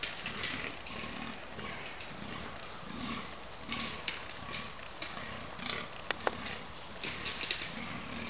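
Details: Fallow deer bucks fighting during the October 2011 rut at Cannock Chase: deep, low groans repeat roughly every second, with sharp clicking and clattering bursts above them.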